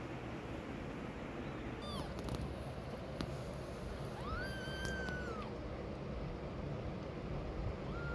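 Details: A mama cat leaving her hidden kittens meows: a short falling call, then a longer, level, drawn-out meow that drops at the end, and a third call starting as the clip ends, over low background rumble.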